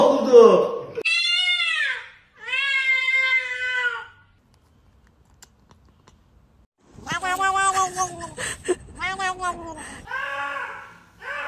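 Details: Cat making strange noises: two drawn-out harmonic meows, each sliding downward in pitch, then a pause of near silence, followed by a burst of rougher, choppier vocal sounds and a shorter closing call.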